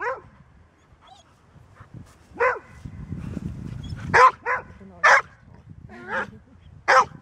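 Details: Golden Retriever, a dog that barks only when necessary, giving irregular loud barks, some paired closely, over a low rumbling background.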